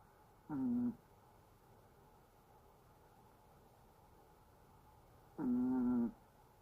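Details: Sleeping Chihuahua snoring: two short, flat, whistling nasal tones with steady pitch, each under a second, about five seconds apart, quiet room between them.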